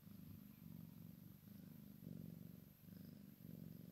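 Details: A Maine Coon and Sphynx cross kitten with mama, low buzzing purr in short pulsing bursts, each breath cycle under a second, gently swelling and fading.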